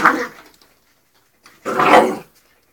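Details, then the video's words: Three-month-old English Springer Spaniel puppy playing with ferrets indoors, giving two short, bright barks about one and a half seconds apart in a small room. "ferrets playing with dog(springer)"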